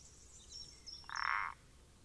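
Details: Common parsley frog recorded 14 April 2020: a single creaky, pulsed croak of about half a second, harsh and mid-pitched, over quiet background with faint high bird chirps.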